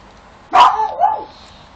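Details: Domestic dog barking at something unseen while another dog ignores it; one bark followed by a drawn-out, wavering whine-like tail lasting about half a second, in a quiet room.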